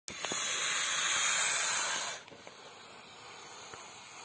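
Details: Indian rock python hissing: a loud, steady, airy hiss held for about two seconds, then cut off sharply, leaving a faint background noise.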